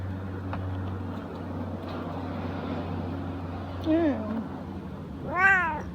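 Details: Siamese cat, very lazy, just woken up, giving two meows: a short, wavering mid-pitched one near the four-second mark, then a louder, rising-and-falling harmonic meow about a second and a half later, over a steady low hum.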